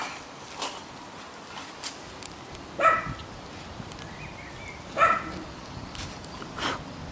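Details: Bichon Frisé puppies, nine weeks old, from the L litter at a kennel. Two short, sharp yaps come about two seconds apart, then a softer third yelp, with faint rustling and footsteps in between.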